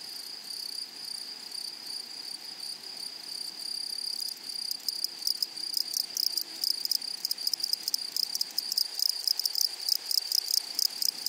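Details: Flowery meadow with grasshoppers: a continuous thin high-pitched drone carries through, joined after about four and a half seconds by loud, dry, scratchy pulses that grow denser and quicker toward the end.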